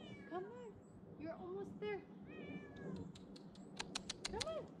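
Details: Tabby female cat climbing down from a tree branch during a rescue, giving several rising-falling meows, with a woman's voice coaxing her on throughout and a few sharp clicks near the end.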